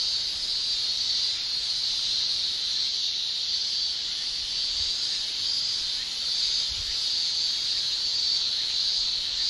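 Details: Summer chorus of male Japanese cicadas producing tymbal song, heard as a constant piercing high shrill that swells and eases gently in waves, with a couple of faint low thumps.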